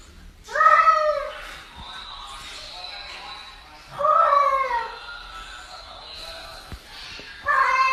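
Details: Funny talking cat giving three arched, whiny meows spaced about three seconds apart, each rising then dropping in pitch, with a faint steady high tone and low room hum underneath.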